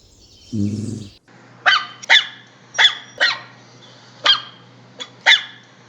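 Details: Dog barking. A brief low rumbling sound comes first, then a run of six quick, high, sharp barks, some in close pairs, over a steady low hum.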